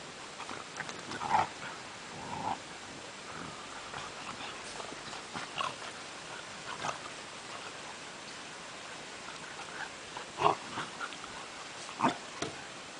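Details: Tosa Inu x Staffordshire Bull Terrier puppies at play, giving short, scattered yelps and squeaky whines, loudest near the start and again toward the end, with grunting scuffles between over a steady background hiss.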